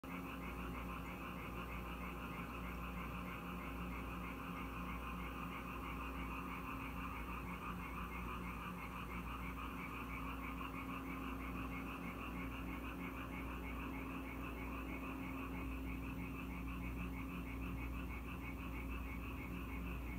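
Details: Frogs in Korea that come to the house whenever it rains, calling as a dense chorus of rapid pulsed croaks that overlap without pause, over a steady low hum.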